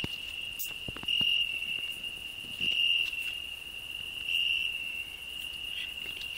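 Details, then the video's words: A cricket singing on a rose bush, a grasshopper also present: a constant high, pure trill with louder swells roughly every one and a half seconds, faint rustles in the background. "Cricket and grasshopper singing"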